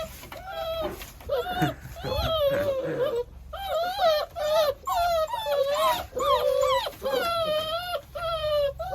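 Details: German Shorthaired Pointer puppies born 15 January 2022 whimper together: a steady stream of high, tonal whines, each bending up or down with bright harmonics, crowding in short overlapping bursts, with faint human speech in the background.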